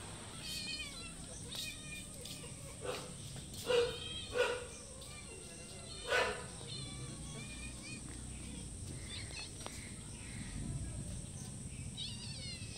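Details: Several cats meowing for food in front of a house, one from a wall and others by the door; short scattered meows come at intervals over a steady high hiss, with a few sharp knocks and thumps.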